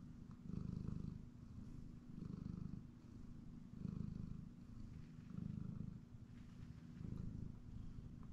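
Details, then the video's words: Domestic cat named Hellion purring while napping on a comfy chair indoors; low rumbling purr swelling and fading in steady breaths roughly every one and a half seconds, with no other sounds. "Cat Nap on the Comfy Chair - Purring"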